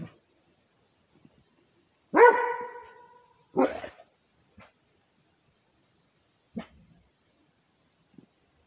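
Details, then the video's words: Rhodesian Ridgeback barking to guard its territory: one loud harmonic bark with a trailing tail, a second sharper bark about a second later, then a few faint short yelps amid long quiet gaps. "Rhodesian ridgeback barking for the territory"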